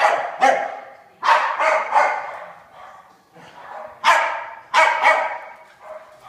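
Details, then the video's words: A pair of pet dogs playing tag in their daily romp. Clusters of loud, sharp barks, often doubled or tripled in quick succession, separated by short pauses and quieter grumbling sounds. "Our dogs play tag"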